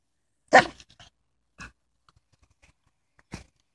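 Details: Pet dog at a house, given a bone that turtles also came out to share; one loud, sharp bark near the start, then two much fainter short bursts spaced over the next three seconds in an otherwise quiet room.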